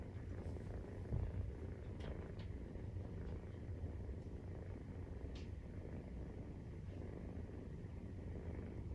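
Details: Nursing-time purr of a Maine Coon cat, on day 43 after the kittens' birth. A low vibrating drone pulses steadily, with a few light taps and small scratchy noises above it now and then.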